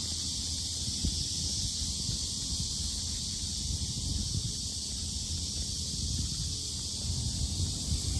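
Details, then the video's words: Cicadas at the Sinjeongho lotus park in Asan, Korea, very noisy: a constant shrill electric-sounding buzz without pauses, with low wind-like rumbling and faint rustling underneath. "매미소리 주의"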